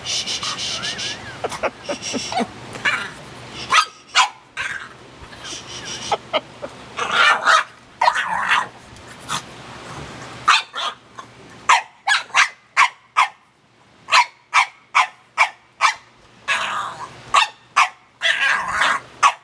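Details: Penny, a household dog, alternates yelping barks and whiny, talking-like vocal sounds, while a second dog, Ruby, licks her owner; barks come in quick uneven bursts, louder and denser toward the end, over some background noise.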